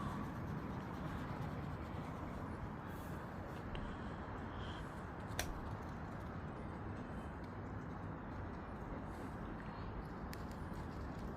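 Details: Steady low rumbling outdoor noise, like wind or distant traffic, with a single sharp click partway through.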